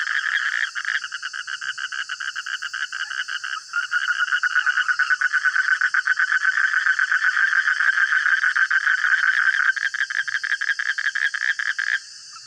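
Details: Loud nighttime frog chorus in the middle of the night, a steady stream of rapid pulsed croaks around four per second, briefly dipping then surging again before stopping abruptly near the end.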